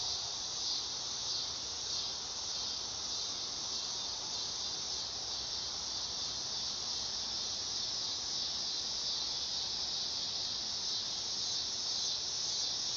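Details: Summer night song of a dog-day cicada: a constant, even, high-pitched hissing buzz that does not break or change in loudness.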